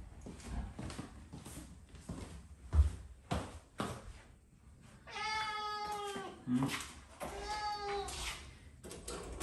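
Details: Domestic cat Mamedaifuku indoors, calling to invite the father of the household for a walk as a daily habit; two clear drawn-out harmonic meows, the first longer and slightly falling, after several seconds of quiet thumps and household noise.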